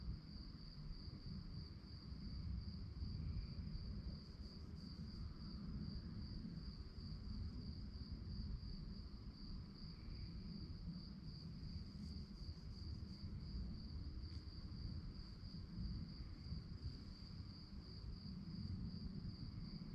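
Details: Night-time crickets give a continuous, bright, rapidly pulsing high trill that holds a steady pitch throughout, with a deep constant rumble underneath and faint brief higher notes now and then.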